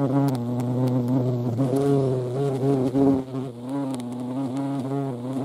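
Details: Deep, continuous droning buzz of a European hornet (Vespa crabro) in the Eifel, the hum briefly shifting in pitch near the middle before settling again.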